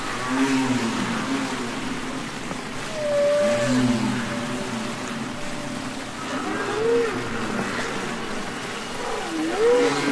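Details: Songs of a humpback whale recorded underwater, Capitol Records ST-620: slow, plaintive moans that bend up and down in arcs, a drawn-out level tone, and low grumbling units, with faint watery background noise.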